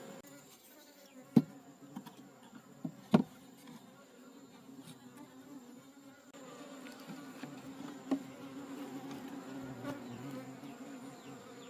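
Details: Wild honey bee colony in a forest during a honey harvest, its steady low hum droning with layered overtones, broken by a few sharp knocks and clicks from handling.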